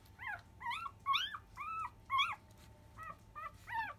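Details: Labrador Retriever puppy of field lines, five days old, nursing at 10 a.m. Eight clear, high, arched whines follow one another about every half second, each a short rise and fall with bright overtones.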